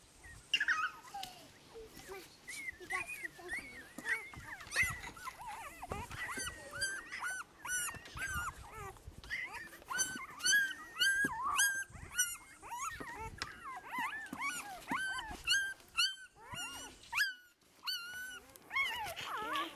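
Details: Newborn Great Pyredane puppies from a spring 2016 litter, Blue Great Dane sire and livestock guardian dam, squealing and whimpering in dense overlapping bursts of high, arched cries, about two per second, with occasional soft voices nearby.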